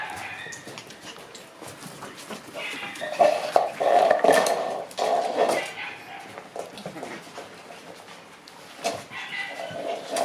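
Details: Energetic Shiba Inu puppies in a group: a drawn-out nasal whine mid-clip among shorter squeaks and yelps, with clattering, scuffling and human voices in the background.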